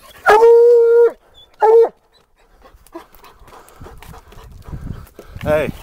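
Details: Black and Tan Coonhound baying at a den tree while treeing a raccoon: one long, clear, ringing bawl of nearly a second, then a shorter one, followed by a man speaking and calling to the dog outdoors.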